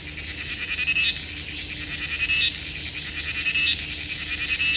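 A cricket gives high, buzzy pulsed chirps that swell and fade in bursts about every second.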